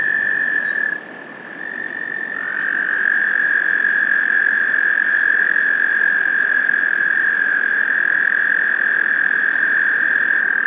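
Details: American toads give long, steady, musical trills on one high pitch, several overlapping so the sound runs on without a break, in Maynard, Massachusetts on 30 April 2021, amid wrestling toads being hunted by northern water snakes; American toad.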